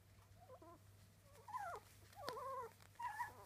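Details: Three-week-old Miniature Dachshund puppies whimpering: thin, wavering squeals that bend up and down in pitch, coming in short bursts of about half a second, four or so across the span, over a steady low electrical hum.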